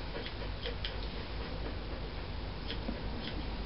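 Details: Steady irregular ticking and light clicks over a dense low room hum during dog grooming, with no animal voice.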